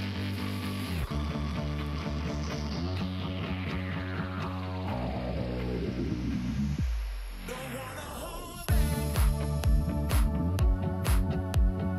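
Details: Loud pop-rock music with singing and a strong beat plays throughout, with a sweeping glissando near the middle and no animal voice.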